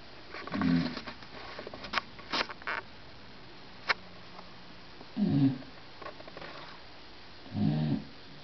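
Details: Bulldog snoring indoors, audible through a closed door with a television on: low rumbling snore bursts at about 0.7, 5.3 and 7.7 seconds, with scattered clicks and knocks between them.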